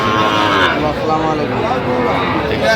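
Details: At a livestock market where Sahiwal bull calves are sold, 25 October 2025, a calf's harmonic lowing mixes with loud overlapping men's bargaining voices and crowd noise across the whole stretch.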